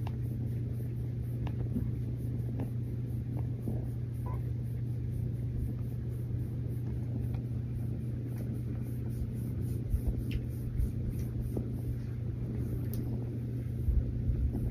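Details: Cuddling with her person, the female rescue kitten Mazie keeps up a long, steady low purr, a dense rumble that barely varies, with occasional faint taps and rustling.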